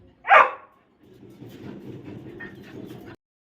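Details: Labrador Retriever puppy Jackie in crate training practice gives one sharp loud bark, followed by quiet low rustling and shuffling before sudden silence.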